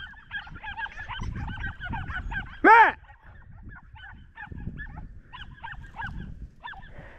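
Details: Podenco hounds of the Perjuicillos pack out hunting rabbit; a single loud, arched harmonic yelp rises and falls near the middle, amid faint repeated chirping calls, low rumbling and rustling outdoors.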